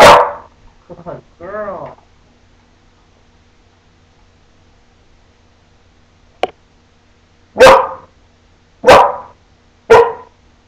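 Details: A female puppy speaking for treats gives a sharp bark, then a woman says 'speak, good girl'. After a pause, three loud, short barks follow at roughly one-second intervals.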